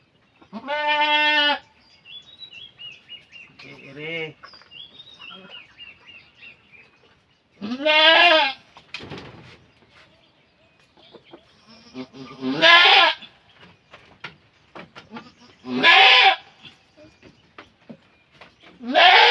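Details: Farm goat giving birth after a long labour, helped along by its keepers; loud, strained, wavering bleats recur every few seconds, separated by quieter murmuring voices and soft background sounds.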